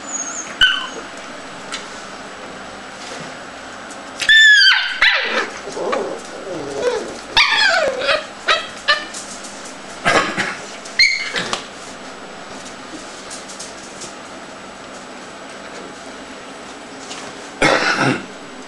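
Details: Scottish terrier with irregular bouts of sharp yips and sliding, squealing whines, some bending downward in pitch, separated by quiet pauses and spread over almost twenty seconds.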